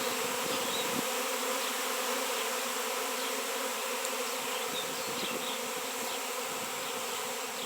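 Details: Many honey bees swarming over a raw 7 lb shungite stone, locally absent for years: a continuous thick buzzing drone, with a brief dip at the start before the hum settles into an even, rough-textured wall of sound.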